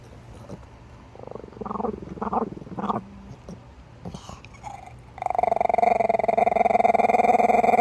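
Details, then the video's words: Chihuahua from Minneapolis growling: a few short rough vocal bursts, then a long, steady, buzzing pulsed growl with a strong mid-pitched tone held for almost three seconds. "STAR WARS SOUND EFFECTS MAKER, CHIHUAHUA"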